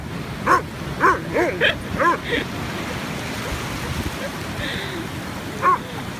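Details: On a beach, an Afghan Hound named Boomboom yaps in a quick burst of five or six high barks, falls quiet against a hiss of background noise, then gives one last bark.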